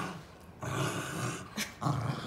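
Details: Two Basenji dogs playing rough together, one giving a low, rumbling growl in two bursts with a short gap between, sounding mean though it is play.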